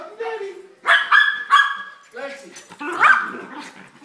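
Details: Two Schnauzers welcome their owner home with excited high whines and yips, then a burst of sharp barks, while a man talks to them over the calls.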